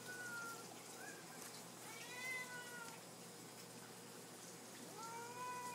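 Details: Pet cats, Lily and Lucy among them, calling indoors for supper. Three soft, distant meows are spaced across the stretch, with a steady hissy background and a low hum.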